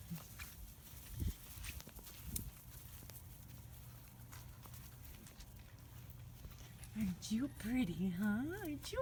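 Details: Little black British Labrador Retriever pups, five weeks old, tired after playing outside: after a stretch of rustling and steady hum, a wavering, yodel-like whimper rises and falls repeatedly, with a woman talking nearby.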